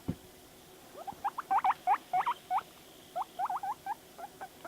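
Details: Household guinea pig Panda vocalizing at videos: a fast series of short upswept squeaks, grouped in two quick bursts, with a thump at the very start and a person urging it on.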